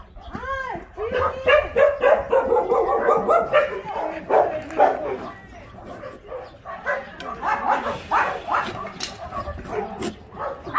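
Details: Dogs at Ulsan Narae-ul Center (formerly Mindeulle Shelter), a dog shelter in Korea, heard during volunteer work: a rapid overlapping run of barks and yelping whines, some arching in pitch, with people talking nearby.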